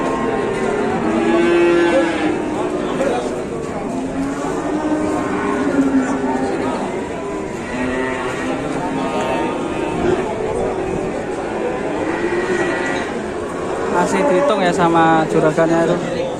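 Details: Market cattle bellowing repeatedly, drawn-out low moos layered among many animals, a louder rising call toward the end, with crowd noise and passing vehicles behind.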